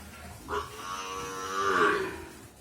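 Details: Brahman bull calf on a dairy farm; a short nasal call, then a longer harmonic moo that rises slightly and falls away over about a second, indoors with low background hum.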